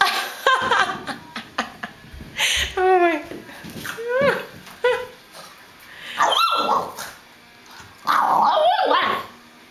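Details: Pet hairless terrier, a female, attempting to talk with a ball held in her mouth: wavering, warbling whines and short yips in quick bursts, some sliding up and down, with muffled mouth noises and the owner's voice nearby.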